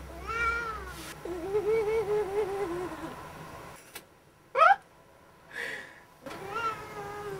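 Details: A pet cat yodeling while its owner coaxes it: long, wavering, tonal howls that warble up and down for about two seconds, then a brief rising squeal and another sustained howl, with faint room noise.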